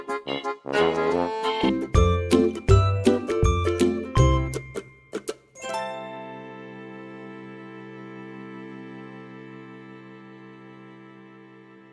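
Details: Music only: chiming, bell-like tones and plucked notes in a quick run for about six seconds, then a long ringing chord that fades out.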